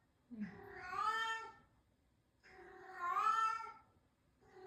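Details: Newly acquired cat described as a crybaby, crying in two long, plaintive meows of over a second each that rise then fall, separated by quiet, with the start of a third at the end.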